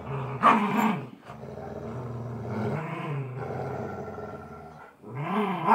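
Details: Golden Retriever growling while playing tug of war; a continuous low, rumbling growl with rising and falling harmonic bands, swelling louder near the start and again at the end.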